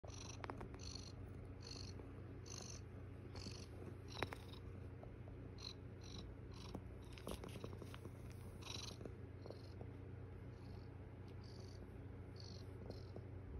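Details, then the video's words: Estella, a foster mother cat with her kittens, purring on the eighth morning: a steady low rumbling drone throughout, with faint clicks and a regular series of high pulsed sounds repeating about every second in the background. "Lots of purring😍 Estella my foster kitty and her kittens🥰"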